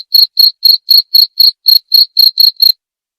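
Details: Eleven quick shrill cricket chirps in under three seconds, evenly paced, then the calling stops into silence.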